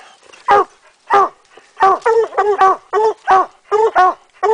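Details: Coonhounds Rocky and Tonka at a tree while raccoon hunting in Idaho in 2011, midday; loud, harmonic chop barks repeated roughly every half second, some doubled, with a quiet outdoor background.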